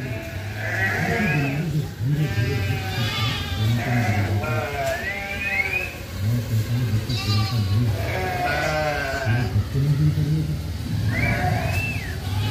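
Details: Flock of sheep in Solukhumbu, Nepal, moving down to lower land as winter begins; several sheep give wavering, rising bleats every second or two over a steady low rumble.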